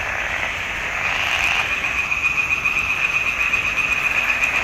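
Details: June 2021 frog chorus from a swamp pond: many frogs croaking together, a bright continuous rattle of quick repeated pulses, rising slightly in intensity partway through.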